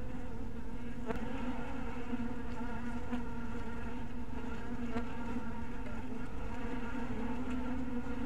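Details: Honey bee colony droning at a bee cottage at twilight, a constant low buzz rich in overtones, punctuated by faint sharp clicks roughly every second or two.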